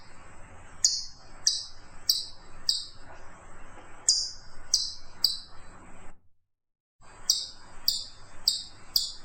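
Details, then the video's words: Chipmunk repeating sharp, high-pitched falling chips in short runs. The sound cuts out completely for under a second near the middle, then the chipping resumes. "FUNNY CHIPMUNK SOUNDS"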